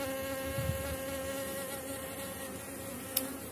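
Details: Honey bee colony, very strong near the end of the season, buzzing during a hive frame inspection: a steady low droning hum with even layered tones throughout and a brief click near the end.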